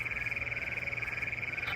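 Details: Bullfrogs sing on a moonlit night in Western Kansas, heard while walking dogs, as a steady, high, fast-pulsed trill that carries on without a break.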